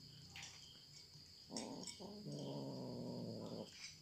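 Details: Cats eating: a few soft chewing clicks, then a sustained low, rumbling growl-like tone about two seconds long, with short broken bursts just before it, over a constant high-pitched background hum.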